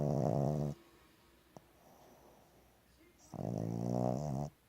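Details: Sleeping female Boston Terrier snoring indoors: two loud, rough, buzzy snores with a nasal, harmonic tone, each lasting about a second, separated by a quiet pause of breathing.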